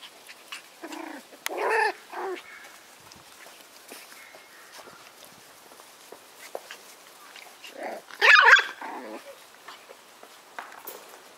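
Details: White Schnauzer puppies from a litter of seven siblings born on 9/3, giving short high yaps and squeaky barks in separate bursts, one loud cluster near the end, with quiet pauses between.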